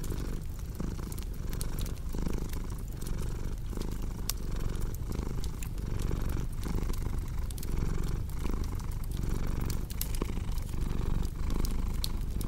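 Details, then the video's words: Cat purring: a soft, continuous, low vibrating drone beating in regular breath cycles, accompanied by scattered crisp snaps and crackles of a wood fire. "Purring Cat with Cozy Crackling Fireplace Sound"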